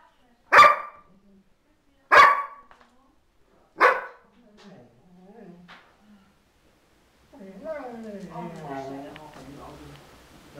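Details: Dog welcoming her mistress back after a week in hospital: three loud barks in the first four seconds, then soft whimpering sounds, followed by a person talking.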